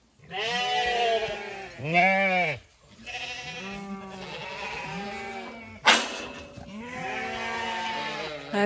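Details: Before sunrise on a Sunday, a flock of Zwartbles ewes exits the long acre field on a County Kilkenny farm in Ireland. Loud, drawn-out bleats from several sheep overlap, broken by a brief sharp knock.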